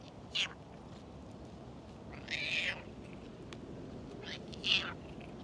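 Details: Stray cats, a black-and-white one resting in tree shade and a talkative one being petted; three short high meows spaced across a few seconds over steady background hiss.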